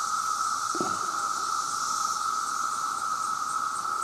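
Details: Chorus of millions of male cicadas calling for mates, a very loud sound: one steady, unbroken droning whine held at an even pitch throughout, with a faint higher hiss above it and a brief low thump near the start.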